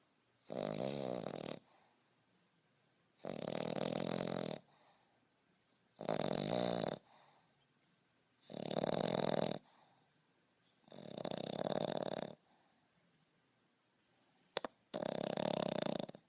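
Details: A 5.5-month-old male French Bulldog puppy snores in loud, rasping bursts separated by quiet pauses.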